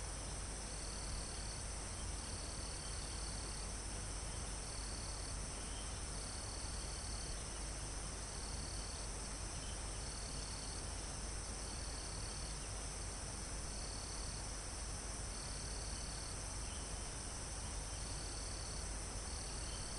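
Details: Near the top of a forested mountain, crickets repeat short, high chirping trills roughly every second and a half, about a dozen in all, backed by a steady insect hiss and calm wind through leaves and trees.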